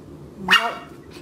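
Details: Single short, sharp puppy yap, bright and harmonic, rising quickly then dropping away within half a second, from a puppy indoors whose owner is scolding it for misbehaving.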